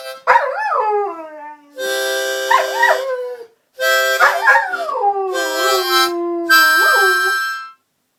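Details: Collie reacting to a harmonica with repeated wavering howls that swoop up and sag down, layered over loud sustained harmonica chords in several bursts, the dog's voice clearly audible between and under the notes.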